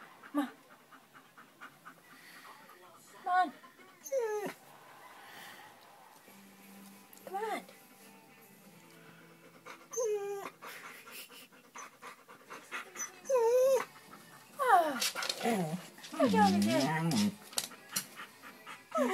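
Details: A pet dog crying because another pet will not come out from under the bed; high whimpers slide downward in short bursts scattered through the clip, some panting, with a person speaking throughout.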